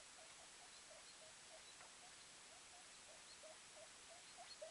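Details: Guinea pig pup named InuYasha, 24 hours old, the smaller of a two-pup litter, running and climbing around a cage while his mother and brother rest under a blanket; faint, short squeaks repeat rapidly, several per second, over steady low hiss.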